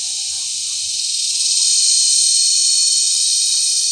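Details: Loud mating calls of cicadas recorded up close while mating, July 18, 2020, in Brgy. Balabag, La Carlota City, Negros Occidental, in cicada season. A dense, shrill, unbroken drone swells slightly louder midway and then holds steady.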